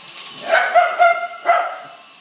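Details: Chase the dog sounds off at a helicopter with a run of three or four drawn-out, tonal barks close together, the last one slightly apart, against a low background hum.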